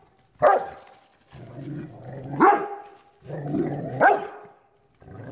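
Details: Facing a chair, a Rottweiler alternates low rumbling growls with sharp rising barks, about one bark every two seconds.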